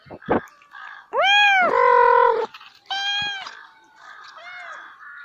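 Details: Cat and kittens meowing: two loud drawn-out harmonic meows, the first rising then holding steady, followed by a shorter falling meow and softer mews, with brief clicks at the start.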